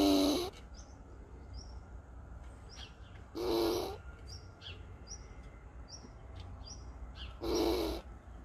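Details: A seemingly agitated squirrel in Borken-Singlis, Germany, on August 20, 2021, makes defensive noises: harsh, raspy alarm calls, each about half a second long, repeated every few seconds.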